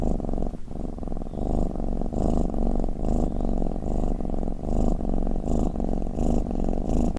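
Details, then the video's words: Cat purring and snoring in a close, low throaty rumble, rhythmic breath-by-breath surges roughly every half second, with a brief catch near the start and otherwise quiet surroundings. "เสียงแมวคราง เสียงกรนของแมว | snoring cat"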